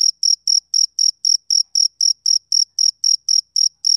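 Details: Chirping of a male cricket on a summer evening: bright, high-pitched pulses repeated steadily about four times per second, each one clean and even, with a fainter overtone above. Nothing else audible.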